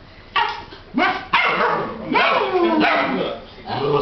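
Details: Eight-week-old Alaskan Malamute puppies from a 2008 litter give short, harmonic yips and bending howl-like calls in separate bursts. A person imitates them in between.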